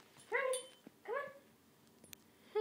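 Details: A pet puppy playing tug of war indoors gives two short, high, harmonic whining yelps, each rising then falling and lasting about a third of a second, separated by a brief pause, with faint clicks and rustling between.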